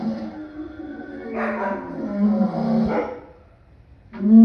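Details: Lion producing rough, throaty calls that swell and fade over several seconds, then a sharp new call starting at the very end.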